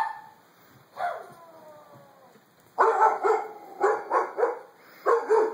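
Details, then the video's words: Frightened Doberman lets out a drawn whine, then bursts of rapid, clustered barks in quick groups of three or four. "Funny Scared Doberman"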